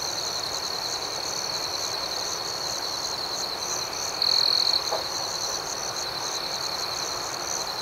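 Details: Night chorus of crickets: an even, continuous high ringing with soft rhythmic pulses layered above. One brief louder trill stands out midway through.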